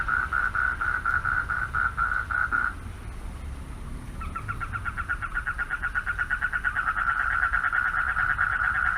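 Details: Pond frogs at night, males calling for mates: pulsed trilling stops after about three seconds, a quiet gap, then a new chorus builds, its rapid pulses growing louder and steadier, with faint low background hum.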